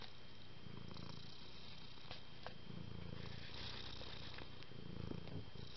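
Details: Pet cat purring close up, a deep vibrating rumble rising and falling in uneven breath cycles, a few soft clicks on top and a thin steady whine behind.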